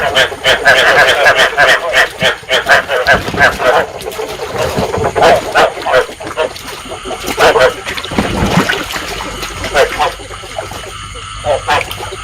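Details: Rice field frogs calling in a trapping lure recording meant to stimulate breeding: a dense chorus of rapid, nasal, harmonic croaks, about three per second, overlapping and fading toward the end, with splashy background noise.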